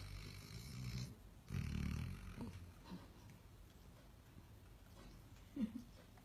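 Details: Dog snoring while asleep, with low throaty rasps around one and two seconds, then softer breathing and a brief snort near the close.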